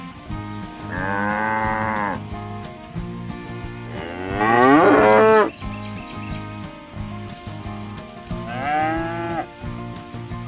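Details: Cattle roaming rural pasture and calling their herd mates to return to the barn. Three moos: a smooth held one, a loud strained bellow with shifting pitch, then a shorter arched low, all over gentle rhythmic music.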